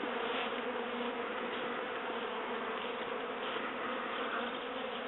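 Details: Western honey bee (Apis mellifera) swarm leaving a top bar hive in rural North Devon, near the Devon/Cornwall border and the Atlantic coast: a dense, steady drone of many wings humming together without pause.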